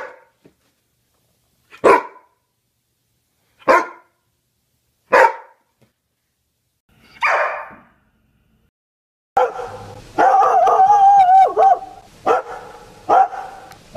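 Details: Greyhound barks: four short, sharp barks spaced well apart, then a dense, noisy stretch of rapid barking with whining tones running continuously to the end.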